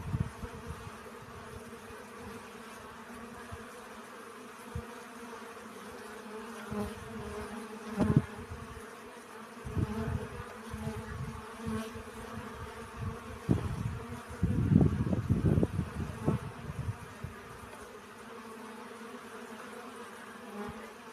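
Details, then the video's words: Honey bees collecting pollen: a steady droning hum with layered low tones runs throughout, broken by frequent low thumps and bursts of rumbling close to the recorder. "Relaxing Bee Sounds. Сбор пыльцы."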